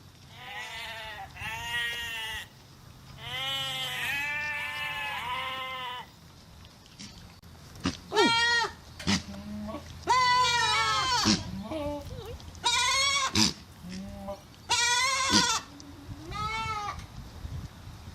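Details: Domestic goats, including young kids, bleat in loud, wavering, nasal cries, several voices overlapping at irregular intervals.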